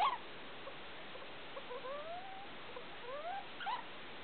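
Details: At 2 o'clock at night, pet degu Felica gives two paired, gently rising whistles, soft and tonal, between brief chirps, recorded indoors with the big light on.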